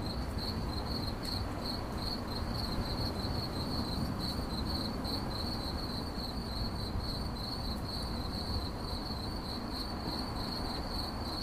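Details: Cricket chirping presented in 8D audio for relaxation: an even, shrill trill of quick pulses at a single high pitch, set against steady low-frequency noise.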